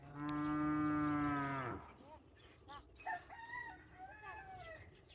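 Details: A cow in a Konkan village on a calm morning gives one long, steady, low moo lasting under two seconds. Clucking chickens and other chirping birds follow.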